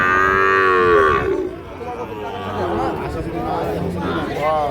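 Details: Sahiwal bulls and calves for sale at Ambari market, Parbatipur, Dinajpur, Bangladesh, recorded 8/6/26. A loud, drawn-out bovine bellow with rich harmonics opens the clip and fades after about a second, followed by crowd noise and traders talking.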